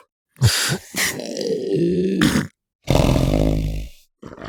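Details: Southern elephant seal, recorded close up in the sub-Antarctic: two short low grunts, then a long throaty bellow, and after a pause a second loud, deep harmonic roar that fades out, with a brief grunt at the end.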